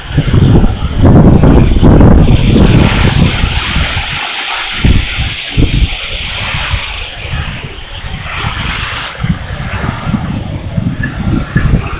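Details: Loud rumbling vehicle and wind noise fills the recording, with no animal sound heard.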